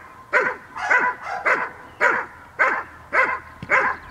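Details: Dog named Cola of Gel.vilkas, offspring of Figo vom Nordteich and Tulpi Gel.vilkas, at a training session on 5 May 2015: sharp, loud barks repeated about every half second in a steady rhythm, seven in a row.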